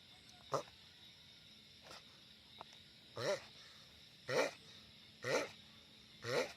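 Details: Sulcata tortoise, a giant one, calling loudly: a few faint groans first, then four strong, wavering, harmonic moans at roughly one-second intervals.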